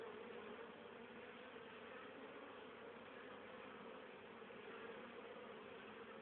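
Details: Many honey bees foraging on 10 October 2010, carrying pollen and nectar home for winter stores: a continuous, even, low droning buzz that holds steady throughout, with a slight hiss.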